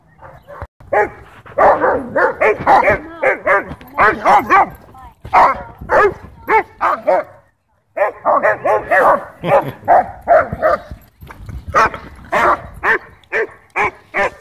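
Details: German Shepherd at a dog park, territorial and aggressive over toys, barking to demand the ball from its owner while another dog, Bodhi, barks back playfully; loud rapid barks in tight bursts, a short silence near the middle, then more barking.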